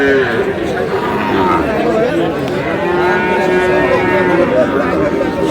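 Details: Sahiwal bull calf bought by a farmer in Cox's Bazar on 24 February: a long, steady, low lowing moo with rich harmonics holds through most of the stretch, over constant human chatter and bargaining voices.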